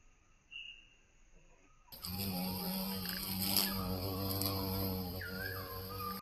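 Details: Violet carpenter bee recorded in Mazovia, Poland, starts a steady, low buzz about two seconds in and keeps droning evenly, with strong overtones, to the end. A short bird whistle sounds before it and again near the close.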